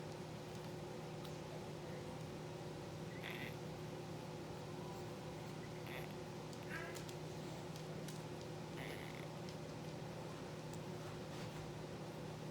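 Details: Blue sable Olde English Bulldogge puppies, a litter of three females and two males only four days old, sleeping and moving in an incubator; brief soft squeaks and whimpers come at scattered moments over a steady low machine hum.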